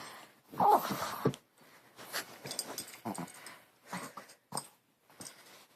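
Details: A dog at play indoors gives an odd, comical noise: rough, breathy wheezing snorts in short uneven bursts, loudest near the start, with quieter rasping puffs after it.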